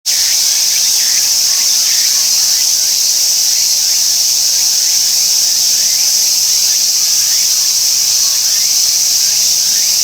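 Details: Tsukutsuku-boshi cicada singing, a cicada that starts calling as soon as it lands and flies off once it stops; a dense, steady high buzz fills the whole stretch, with faint rising notes repeating beneath it.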